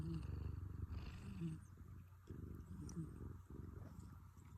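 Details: Snoring rescued cat with low rough rattling breaths, dense and continuous, a brief pause near the midpoint, all kept deep with no high sounds and a faint background hum.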